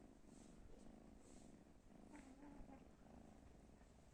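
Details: A pet cat purring steadily, a continuous low rumble with a faint hum in the middle range, unbroken and even in loudness for about four seconds, with no other sounds.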